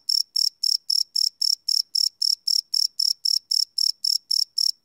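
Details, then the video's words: Shrill cricket chirps at night, recorded live using a Sony PCM D100: short, evenly timed pulses around four a second, clean and unbroken. "Cricket Chirp Sound - Cricket Sounds at Night"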